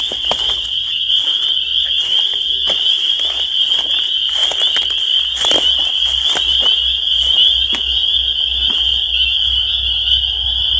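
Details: Spring peepers calling in a dense chorus: a continuous high, shrill peeping band held steadily throughout, with many overlapping callers and scattered faint clicks and knocks beneath.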